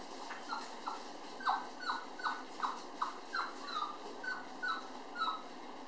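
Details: Nursing toy poodle puppies at their mother, close to weaning time. Short, high, squeaky whimpers come in an uneven series, roughly two or three per second, each a brief falling note, with low hiss behind.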